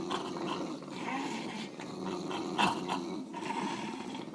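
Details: Two English bulldogs pulling on a toy in poor light, growling continuously in a deep, rough, vibrating rumble with small rhythmic surges.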